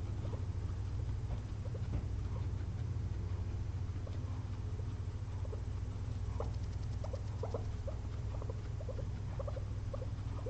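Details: Sleepy pet guinea pigs, two of them, dozing after a day of frozen blueberry snacks; faint scattered chirps and squeaks grow busier toward the end, set against a strong steady low hum.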